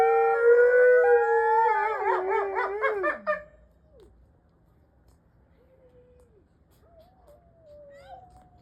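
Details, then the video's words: Several Mexican wolves howling together, loud overlapping tones breaking into quavering, yipping wobbles, then fading after three seconds to a few faint, thin, distant howls rising and falling. "Mexican Wolves Howling"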